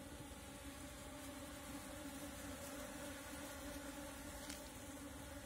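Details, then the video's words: Wild Asian honey bees (Apis cerana), a natural swarm being caught with a bee cap, give a dense, steady droning hum with a low tone and a higher overtone, unbroken throughout. "Catch Natural Apis Cerana bees Swarm with bee cap"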